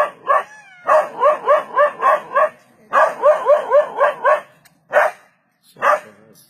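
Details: Dog confronting a leopard, barking to save itself from the predator: quick runs of five or six loud, rough barks, then a pause, followed by two lone barks spaced about a second apart.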